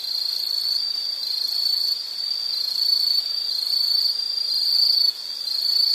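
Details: Shrill insect chirring, a high continuous trill pulsing gently about once a second in loudness, with a brief dip near the end and nothing else clearly audible.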